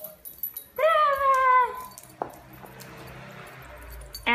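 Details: American Cocker Spaniel playing with a ball gives one drawn-out, slightly falling tonal whine lasting about a second. A sharp click follows, then quiet rustling and a short burst at the end.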